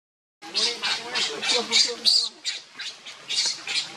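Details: Baby monkey Leo crying to beg milk from its mother, hungry; a quick run of sharp, high, screechy squeals, about seven in four seconds, uneven in loudness, with a faint lower murmur beneath.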